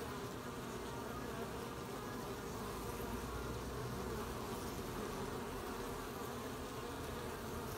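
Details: Honey-gathering bees, 20 July 2020: an unbroken, even droning buzz from many insects, low and rough-textured, steady from start to finish.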